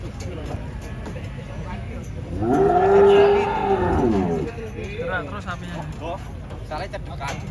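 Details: Large cattle at a show or contest in Indonesia, a long harmonic moo of about two seconds that swells and fades, with people talking and background noise around it.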